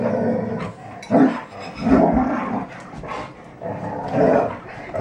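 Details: Three red Standard Poodles, Betty Jo, Jenny and Cayenne, wrestling playfully; short, gravelly growls and snarling huffs pulse in quick repeated bursts, roughly four loud surges over a few seconds.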